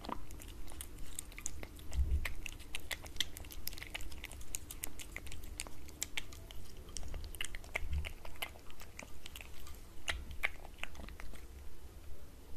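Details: Cat eating wet cat food from a glass table indoors, with steady wet chewing and sharp clicking bites repeating about once a second and soft low thumps in a small quiet room.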